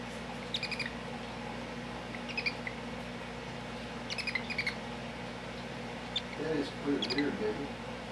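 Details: Young hedgehog, eyes newly opened, held out for photos beside its little brother, gives short thin chirping squeaks in small bursts every couple of seconds, like a chipmunk; soft human speech murmurs near the end.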